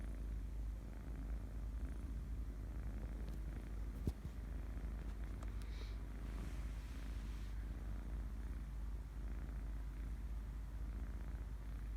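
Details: Kitten purring while asleep: a continuous low rumble with steady pulsing throughout, one brief click near the four-second mark, quiet indoor background.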